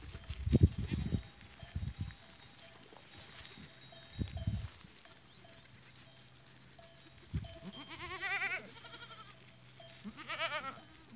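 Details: Goats on 14 April 2023, with low thumps and shuffling early on, then two quavering, vibrato-laden bleats around eight and ten seconds in, over a faint steady bell tone.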